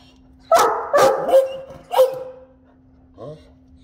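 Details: Great Danes talking in their morning conversation: three quick rising-falling yowling yelps in a row, a lingering drawn-out whine, then one soft short grunt, with a constant low hum.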